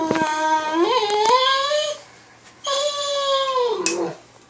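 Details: Indoors, a pet Weimaraner gets excited and howls toward a labmaraner: two sustained howls that rise gradually in pitch, then fall away at the end, with a brief gap between.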